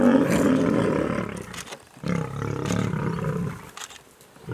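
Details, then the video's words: Male lions fighting over territory; deep, harsh roaring growls, loud for about one and a half seconds, a short break, then another rough growling burst fading near the end. "Male lions fighting over territory"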